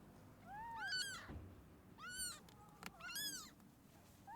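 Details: Abandoned stray kitten, rescued after two days freezing in the snow at -11°C, gives three clear arching meows, each rising then falling, with short pauses between them against a quiet background.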